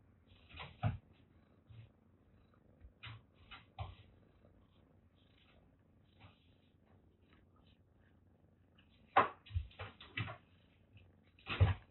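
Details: Affectionate three-and-a-half-month-old female kittens, Michi and Ubu, rescued from a sweltering attic and cared for at a Kagoshima cat shelter. A steady low purring hum runs throughout, broken by sharp clicks and knocks.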